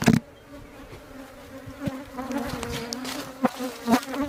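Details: Agitated, aggressive honey bees at a beehive swarm onto the beekeeper, giving a steady, low droning buzz that swells and fades, broken by sharp knocks, with music playing.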